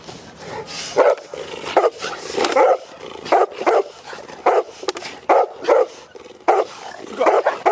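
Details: Cane Corso raised in a family setting, barking in repeated short loud bursts roughly every half second to second, with some clattering noise between barks.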